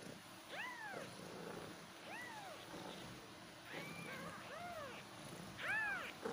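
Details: Kittens meowing repeatedly, short arched mews roughly every second, some overlapping as several voices call, the last ones louder, over low background hiss.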